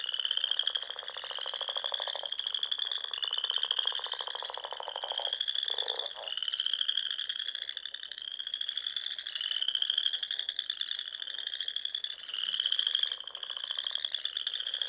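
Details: Nebraska Sandhills frogs at dusk in spring by small lakes and ponds; a loud chorus of repeated rising high trills every second or two, backed by softer low rattling croaks.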